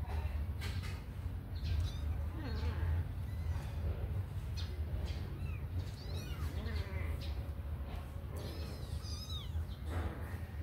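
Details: Kittens let out of their cage to run and play give repeated thin, high meows, several rising then falling in pitch, scattered across the clip over a steady low hum and light clattering and tapping.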